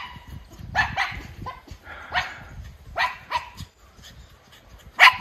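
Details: Two Miniature Schnauzer brothers rushing outside at home, filmed unplanned on August 27, 2023; about six short, sharp barks come in irregular bursts, spaced roughly a second apart, the final one loudest, over a low background rumble.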